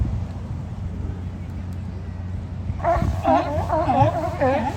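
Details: Sea lions lounging on the beach at Kiddie Beach, Oxnard, California: a low engine-like rumble fills the first three seconds, then a run of about five hoarse, harmonic barks follows in quick succession.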